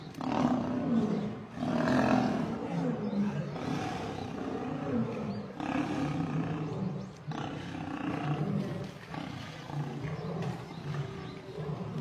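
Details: Lionesses attacking and killing a male lion; a continuous scrum of deep growls, raspy snarls and short explosive roars overlapping through the whole stretch, with heavy low rumbling underneath.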